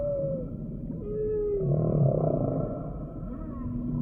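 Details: Humpback whale song: thin, drawn-out tonal notes that dip and slide downward, followed by a softer rumbling swell and a faint rising sweep near the end, set against a low underwater hiss.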